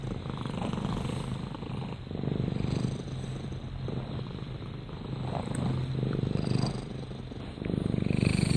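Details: Domestic cat purring steadily at close range, a low continuous rumbling pulse that swells and eases with each breath, with faint rustling in a quiet room.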